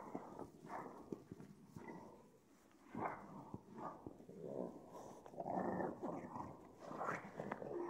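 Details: Pug, freshly showered, making rough, breathy snorting and grunting sounds in uneven bursts of about a second each, with short pauses between them, in a quiet indoor setting.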